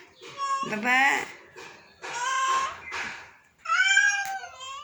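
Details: A sick domestic cat meows three times in a row, long and wavering, mixed with a person's voice calling and soothing it indoors.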